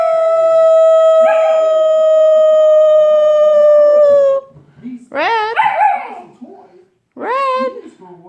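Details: A female puppy just 12 weeks old named Red sings with a sustained, even howl lasting over four seconds. It ends with a slight drop and is followed by two shorter, wobbling rising-and-falling wails. Faint voices in the background.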